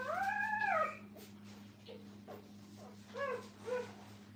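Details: At a kennel, a puppy with its mother lets out one clear, arching howl. It fades into faint, scattered whimpers, then two short, soft yelps near the end, over a constant low hum.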